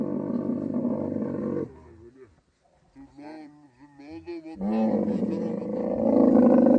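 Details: Camel during mating time in the Thar Desert of Sindh, Pakistan, giving a deep gurgling roar. The roar breaks off and human voices speak, then a second, louder roar builds and continues to the end.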